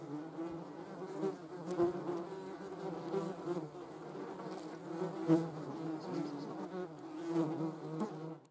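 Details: German wasps, Vespula germanica, observed outdoors: a continuous low humming buzz with layered wingbeat tones, swelling and fading as insects move near, with a few faint ticks.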